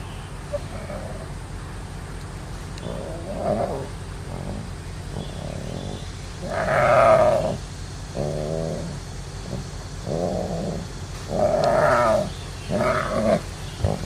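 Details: Young tiger cub, in a nursery for abandoned animal babies, giving a series of bleating, mew-like harmonic calls. Short bursts come every second or two, a couple louder and longer, over a steady low background hum.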